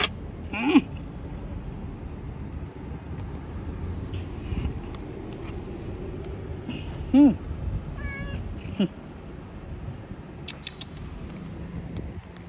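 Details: Homeless street cats living outdoors give a few short, rising-then-falling meows spaced several seconds apart over steady low traffic rumble, with brief speech nearby.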